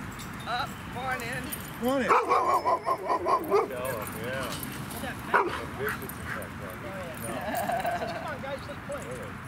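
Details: Havanese male puppy, seven months old, during off-leash training near a lake; a series of high, wavering whines and yips, several in quick succession around the middle, with a person speaking over them and outdoor background noise.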